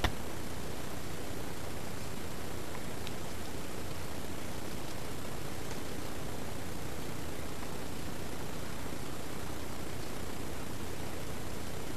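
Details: Constant hiss of broadband static with faint rustling and no distinct calls.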